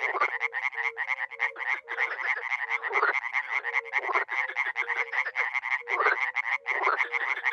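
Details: Spring frog and toad chorus at a small pond in Miroslovesti, NE Romania, many animals calling together: a continuous stream of fast grating croaks, with soft mellow hooting notes repeated underneath.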